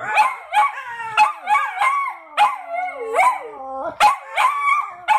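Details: Fred and Barney, two dogs, howl together in a duet: quick repeated yelping howls that rise and fall, over a lower drawn-out howl sliding slowly downward, the voices overlapping continuously.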